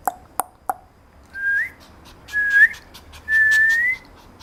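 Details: Papillon puppy indoors giving three short sharp yelps, then three drawn-out high whines, each rising at the end, the last one longest.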